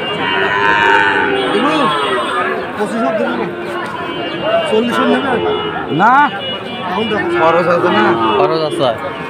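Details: Sahiwal bull calves at Ambari cattle market in Sylhet, Bangladesh, on 2 October, lowing repeatedly: several overlapping moos, some short and arched, one louder drawn-out rising-falling moo near the middle, over a steady background of market bustle.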